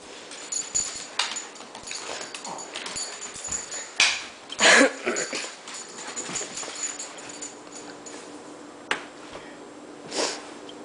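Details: A female Shih Tzu gives a few short, sharp yips and barks in a small room.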